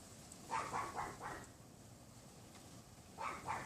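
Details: Neighbour's Pomeranian yapping behind a wooden privacy fence outside a bedroom window on a windy afternoon, 6 February 2015 around 3:18 PM; a quick burst of four sharp yaps, a pause, then two more, over steady wind hiss.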